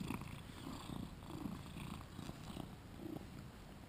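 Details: Two-year-old male British Shorthair named Shinobi, recorded with a GoPro while playing: a low, steady rhythmic rumble pulsing roughly twice a second throughout, with soft background hiss.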